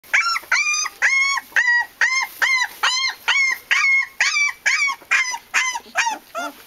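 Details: Japanese Tosa Inu puppies whining: high, clear, arched yelps repeated about twice a second in an even run, each rising and falling quickly, fading into a final softer whimper.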